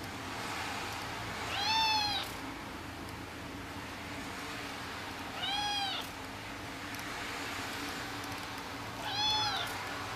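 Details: Persian kitten meowing as if saying goodnight: three thin, high, slightly arched meows, each under a second, spaced about four seconds apart, over a steady low indoor hum.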